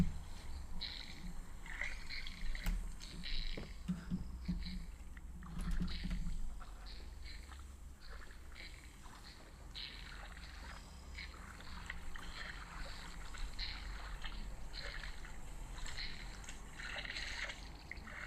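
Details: A group of about nine female waterbuck drinking at an African waterhole on 1 July 2025, slurping water in short, wet, splashy bursts that repeat every second or two.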